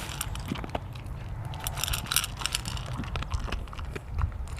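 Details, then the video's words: Mungchi, a pet dog, mid-meal: steady crackly chewing with scattered sharp bites over a strong low rumble, the crunches coming several times a second. "강아지(뭉치) 먹방입니다~귀엽게봐주세요 dog mukbang"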